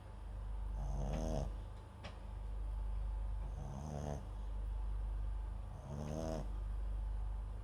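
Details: Pet dog MAX, a Papillon × Japanese Chin mix, snoring in his sleep beside a nearby microphone; three rattly, fluttering snores spaced about two and a half seconds apart, with a faint click between, above a low steady hum.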